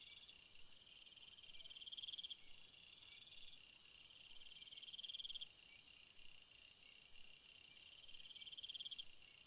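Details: Night-time cricket chorus of continuous high, thin trills, with brighter pulsed chirp trains swelling for a second or two, roughly every three seconds, over a steady shrill background hum.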